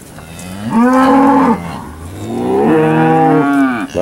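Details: Steers at a cattle auction sale on 8 August 2013, evening: two long, drawn-out lowing moos with a steady tone, each lasting under a second. Between them is a quiet gap with faint room noise.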